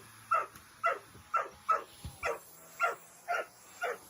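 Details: Dobermann, a large pet dog indoors, barking furiously at a running vacuum cleaner it hates: sharp barks repeated about twice a second, eight in four seconds, over a steady high mechanical hum.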